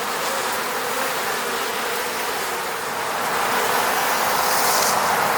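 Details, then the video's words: Honey bees buzzing by their hive at a Moscow-region apiary; a constant thick drone of many insects, rising slightly toward the end, with a brief airy whoosh near the close. "sound of bees buzzing around beehive."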